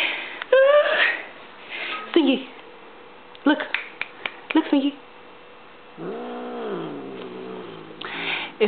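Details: Stinky, a female pet cat indoors, turning grumpy at a noise she dislikes: a drawn-out, arching, moaning yowl lasting over a second follows stretches of a person chanting and talking, with sharp clicks and knocks.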